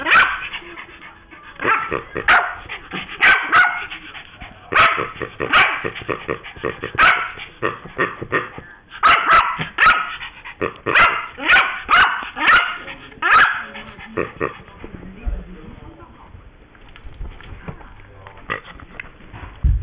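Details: Pet Yorkshire Terrier barking angrily after its new noise-making toy pig was taken from it. Sharp, high barks come in quick bursts of one to three for about thirteen seconds, then give way to quieter rustling and scuffling.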